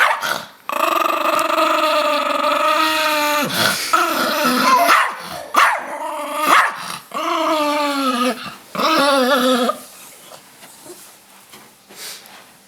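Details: Rosco, a pet Chihuahua, growls around shower time, which he obviously dislikes. He gives long, tonal, wavering growl-whines in about four sustained bursts over ten seconds, with short pauses between them, then quiet indoor room noise.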